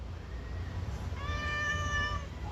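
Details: Responsive pet cat talking back to its owner with one sustained, level meow near the end, preceded by a fainter short mew, low background hum throughout.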